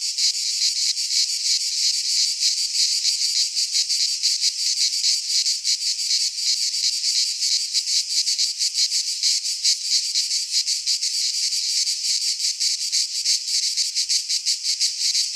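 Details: Chorus of cicadas singing through a Greek pine forest at midsummer: intense high-pitched buzzing, continuous and loud, with fast flickering pulses throughout and no other animals or voices.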